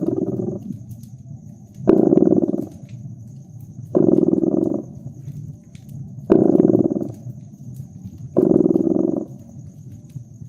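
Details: Cozy fireside purr of a domestic cat in winter: a steady, rhythmic, rumbling vibration with five stronger pulses roughly two seconds apart, separated by softer rumbling, accompanied by faint crackles from the fire.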